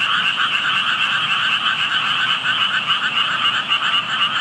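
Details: Frog chorus heard by a passer-by near water where only tadpoles were visible: dense overlapping croaking, pulsed notes repeating about four times a second in two bright bands, continuous throughout with no gaps.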